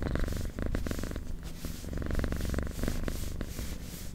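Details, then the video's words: Close recording of a domestic cat purring, a deep continuous buzzing rumble rising and falling with each breath, switching phase roughly every half second to second, with light rustling in the background. "Purring Cat"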